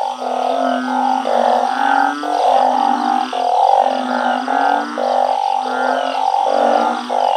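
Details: Truncate-snouted burrowing frogs raised in a backyard organic garden, calling together at night: a dense chorus of droning, moaning notes. Each note lasts about half a second, with overlapping callers in steady repeated waves.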